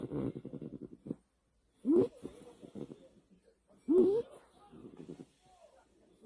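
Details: Niji, a pet American Cocker Spaniel, asleep at night in the dark, snoring: a fluttering rattle at first, then two loud rasping snorts two seconds apart, each trailing into softer wheezy breaths.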